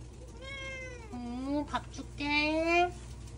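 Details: Deokbae, a pet cat indoors at home, lies down and fusses to be petted. He gives three drawn-out meows: a higher one, then two lower, rising-and-falling whiny calls about half a second each, with faint room noise.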